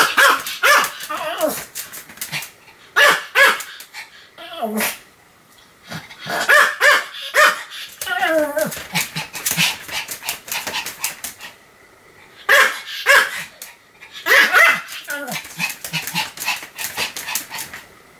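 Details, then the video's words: Pomeranian Sam barking repeatedly, 7 October 2015: clusters of high, sharp yaps with brief quiet gaps between bursts, some barks drawn out and wavering, faint voices possibly in the background. "犬の鳴き声 ポメラニアン サムの連続吠え"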